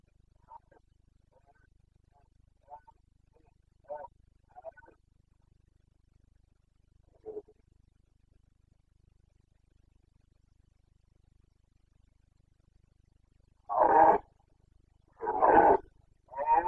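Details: Carpathian red deer stag in the Bucovina mountains during the 29 September 2022 rut, locally called boncănit: faint, scattered grunts early on, then three loud, harsh, hoarse roars close together in the final seconds.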